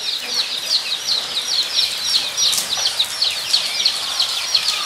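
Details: Guinea pigs kept at Nogeyama Zoo in Japan, 23 September 2012, squeak continuously: a dense run of thin, very high chirps pulsing several times a second, many animals overlapping.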